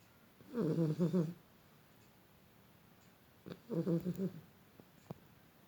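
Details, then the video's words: Beagle snoring during sleep, two fluttering, stuttered snores with a rapid rattling pulse inside each breath, about three seconds apart, followed by faint clicks in an otherwise quiet setting. "The snoring Beagle"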